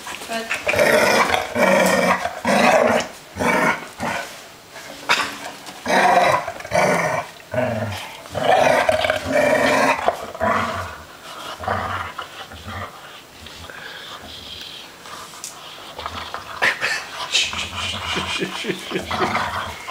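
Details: Three dogs playing noisily together, a string of rough growls, grumbles and short yelps in bursts, loud and uneven, with brief quieter gaps between rounds.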